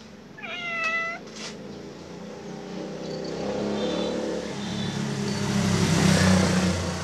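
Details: Khao Manee cat calling to invite a playmate: one short, clear meow with stacked harmonics, level then gently falling, followed by a steady engine rumble of a passing vehicle that grows louder toward the end.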